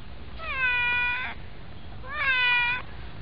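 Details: White domestic cat riding on a person's knees; two clear meows, each rising then falling, harmonic and slightly nasal, about a second apart, in a quiet indoor setting.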